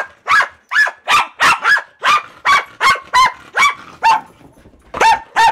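A Pembroke Welsh Corgi gives a rapid run of short, high, sharp barks, each a clipped yap. The barks come in a steady burst with a brief pause before the last few.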